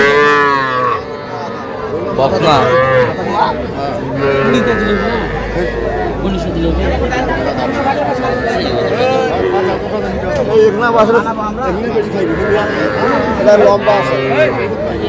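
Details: Young bulls and heifer calves at a Madaripur cattle market in Bangladesh, 9 August 2025; repeated overlapping moos from several animals throughout, over steady crowd chatter and buyers haggling in Bengali.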